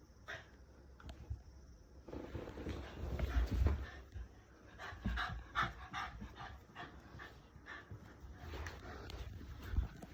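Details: Haru, a female Shiba Inu kept in the countryside, excited after ambushing a family member coming home: rapid irregular panting and soft whines, low rumbling handling noise underneath, activity building after a quiet opening.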